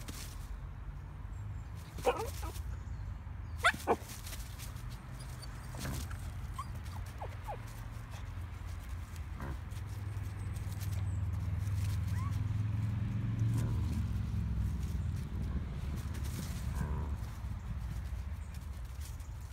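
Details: Pomsky named Bentley, a female, scared at seeing a big hog through a fence for the first time during a walk: a few short, sharp barks and yips early on, then a long steady low rumble of wind or ambient noise.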